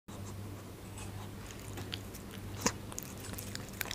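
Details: Munchkin kitten eating dried fish, recorded indoors: irregular crunchy bites and chewing clicks, with a sharp crunch near the middle and another toward the end, over a steady low hum.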